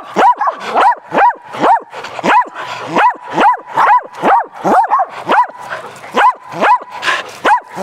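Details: Playing fetch on a spring day, a group of dogs (Athena, Brando, Rocko, Charlie) keeps up steady barking, sharp arched barks coming about twice a second without pause for the whole stretch.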